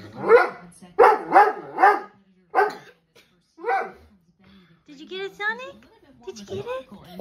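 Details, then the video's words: Dobermann dog indoors barking at dogs shown on TV: a quick run of loud, harsh barks, then a pause before softer whining yelps, with TV commentary and background chatter underneath. "Doberman barking at dogs on TV"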